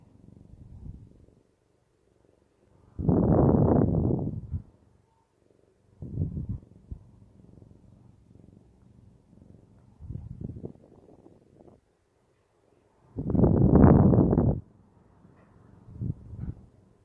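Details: A male Siamese cat purrs in low, rumbling pulses, with louder bursts rising and fading, while kneading the air ("making biscuits").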